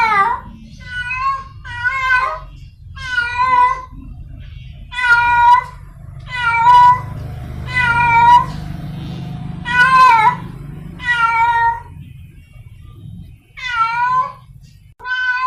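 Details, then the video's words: Wild cat in heat, seeking a mate, calls persistently: a dozen loud, plaintive meows of varying length, some rising and falling, coming every second or so over a continuous low hum. "Suara Kucing liar sedang birahi mencari pasangannya | The sound of a wild cat in heat"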